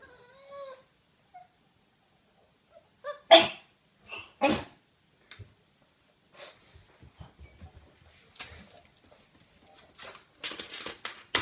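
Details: Two pet pugs, Freddie and Percy, indoors watching themselves on a screen and growing excited: a brief high whine with stacked overtones opens, then scattered short, sharp snorts and sneeze-like bursts, with some scratchy rustling between them.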